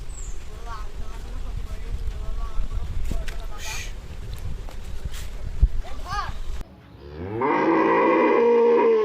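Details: Buffalo among village cows: several seconds of noisy farmyard background with clattering and faint short rising calls, then a sudden loud, sustained, low bellowing moo that holds steady to the end.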